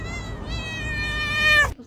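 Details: Pet cat making a weird sound: a long, drawn-out, tonal yowl that holds steady and then rises slightly before cutting off abruptly, with faint background voices.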